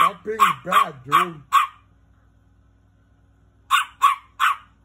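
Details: Angry little dog letting out high, sharp barks: a fast cluster of five at the start overlapped by a man's voice, then silence, then three more yaps near the end.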